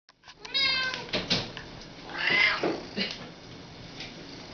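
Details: Pet cats, one of two house cats, talking: a series of bright harmonic meows, some rising then falling, several overlapping in quick succession over about four seconds, loud and close in a quiet room.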